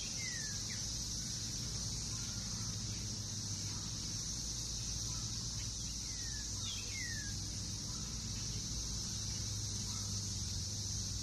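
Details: Periodical cicadas of Brood X in a Northern Kentucky backyard, June 2021, after their 17-year wait below ground; a continuous shrill buzzing wall of sound holds throughout, while scattered descending bird chirps and faint low traffic hum sit underneath.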